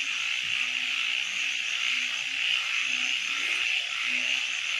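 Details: A dense nighttime frog chorus of high continuous trilling, with a handful of short low croaks scattered through it.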